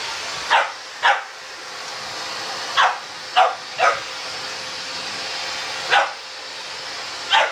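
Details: Ten-week-old puppy Sammie, confronting a vacuum cleaner for the first time as Boxer Rex steps in. Seven short, bright barks come in pairs and singles against the continuous whoosh of the running vacuum.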